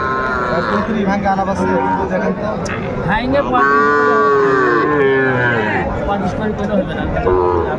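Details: Sahiwal bull calves at a cattle market in Dhaka, Bangladesh, on 11 February 2025; a long, drawn-out moo swells and falls over about two seconds amid steady crowd chatter, men bargaining over prices, and shorter lowing before and after.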